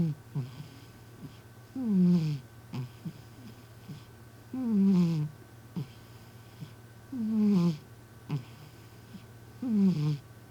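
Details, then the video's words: Sleeping community cat snoring in a human-like way in a home with a television on: deep, rasping, descending snores about every two and a half seconds, with soft clicks between breaths and a steady low hum. "俺のイビキ ロングバージョン💤 My snoring"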